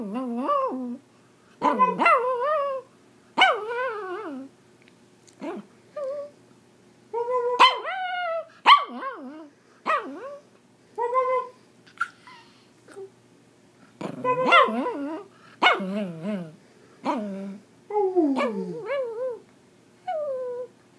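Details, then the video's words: Pomeranian dog in India giving a run of short, rising and falling yelping howls and yips in uneven bursts, some wavering tonal notes between them, with quiet pauses and no other sounds. "Singing Pomeranian"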